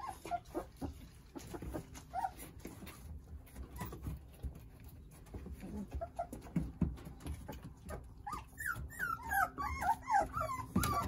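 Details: Nine Jindo puppies playing and toddling under the care of their mother Sarang; a fairly quiet stretch of soft scattered sounds gives way near the end to a rapid burst of high, wavering whines and yelps from several puppies.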